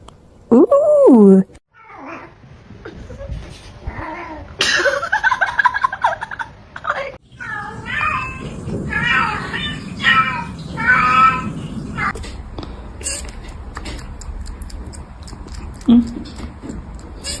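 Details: Domestic cat, filmed at home for a funny pet compilation, lets out one loud, drawn-out meow that rises and then falls near the start. People's talk and laughter follow, with a short squeak later amid the room noise.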